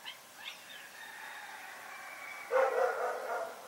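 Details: Dog barking at night: faint, soft sounds early on and a drawn-out tonal call, then a loud burst of two close, harsh barks near the end.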